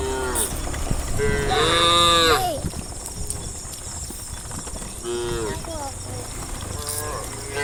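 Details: Herd of tame cows moving through woodland toward a farm pen; a loud, long rising-and-falling moo opens, followed after a pause by shorter moos from other cows, with steady high background hiss.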